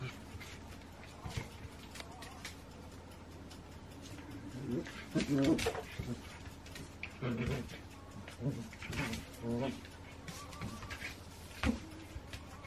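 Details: Shetland Sheepdogs Rhea and Sammy at play, recorded 28 January 2016: bursts of rough, throaty vocal noise cluster between four and ten seconds, with softer scattered sounds before and after over a low indoor hum.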